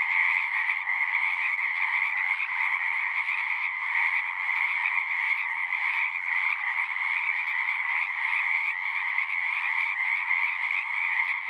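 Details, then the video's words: Frogs call nonstop in a thick, massed chorus, their overlapping trills forming a steady buzzing hum with a sharper upper layer. Nothing interrupts it, and only the chorus is heard. "One hour of singing frogs."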